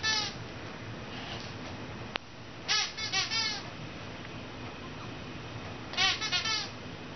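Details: A 2-month-old Dogue de Bordeaux puppy named Ruby spends her first night in a new home, watched by an American Bulldog. Two separate clusters of thin, quavering whimpers break a quiet room, with a single sharp click between them.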